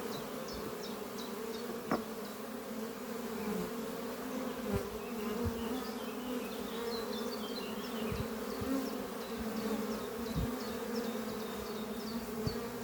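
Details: A busy colony of honey bees flying at their horizontal hive Doppio, built from an old French oak chest, on a spring morning. An even, low droning hum fills the whole stretch, accompanied by a bird's bright, repeated twittering notes.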